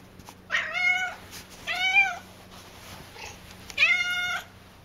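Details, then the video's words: Three drawn-out, clear meows from Cassidy, a talkative house cat, each under a second and richly harmonic, spaced about one and a half seconds apart, with a quiet hum in the room. "Loud Cat"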